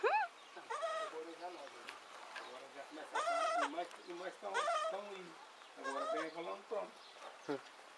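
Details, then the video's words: Baby goat bleating again and again, each cry quavering and nasal, some rising then falling, about six bleats spread over eight seconds with brief pauses between them. "Baby Goat"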